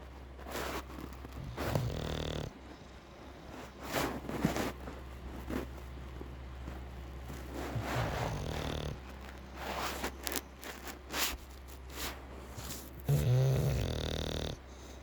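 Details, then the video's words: An English bulldog snoring while asleep: rough, rattling snorts and breaths come in irregular bursts, some with a nasal buzzing tone, separated by quieter stretches with soft rustling. "English bulldog Bacon sleep and snore"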